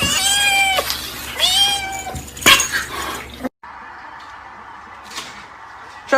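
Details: Domestic cat in a funny cat compilation giving two drawn-out, downward-bending meows about a second apart, followed by a sharp click, an abrupt cut and a quieter, hissy background.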